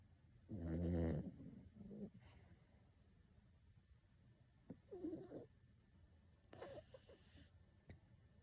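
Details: Chubby elderly black toy poodle weighing 6.5 kg, fast asleep, lets out one loud, deep, rattling snore near the start, followed by softer, shorter snorting breaths at intervals.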